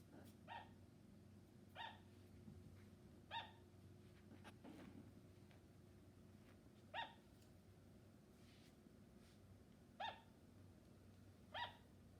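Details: Sugar glider giving short, sharp, tonal yaps, each a crisp bright bark, spaced irregularly about one to three seconds apart, seven in all, over a steady low hum.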